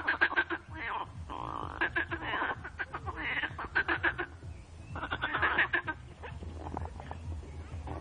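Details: A noisy frog chorus: rapid pulsed croaking trains in overlapping bursts from several callers, swelling and fading every second or so over a steady low background rumble.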